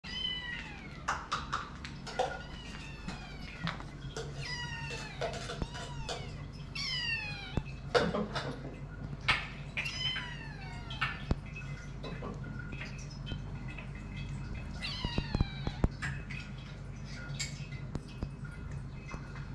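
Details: Hungry eight-week-old kittens screaming for food while waiting to be fed indoors, Uncle Purreh sharing his food; many overlapping high, arching meows from several kittens, repeated every second or so, with clatter and a low steady hum.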